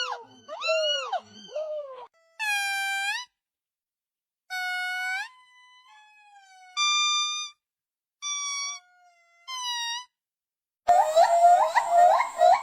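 A series of monkey calls: clear, whistled notes that rise and fall, separated by short pauses.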